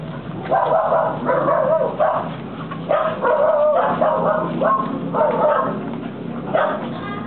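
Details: Two American Pit Bull Terriers playing in a home yard in Corrientes, Argentina; repeated short, hoarse barks and yips come in irregular bursts every second or so, with some background noise.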